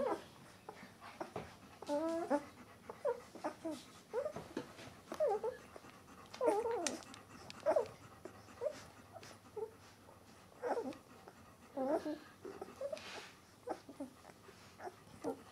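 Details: White Swiss Shepherd puppies from a C litter, eleven days old, whimpering and squeaking indoors; short high wavering squeals come in overlapping bursts from several pups, with small thumps and rustling between.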